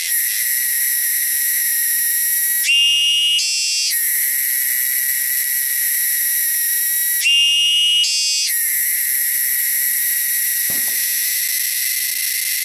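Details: Shrill, loud cicadas native to the wilderness give a continuous high buzzing drone, broken twice by a brief shift to a higher, more tonal phase before the steady buzz returns.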